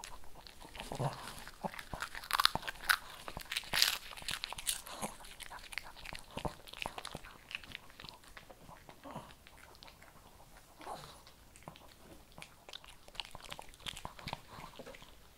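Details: Shih Tzu eating kibble indoors in a small room, crunching in sharp, irregular bites roughly forty times a minute, with some louder cracks near the start.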